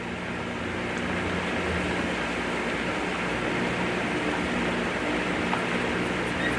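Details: Steady broadband whooshing like a fan or air conditioner runs throughout, with a faint hum and no animal voice.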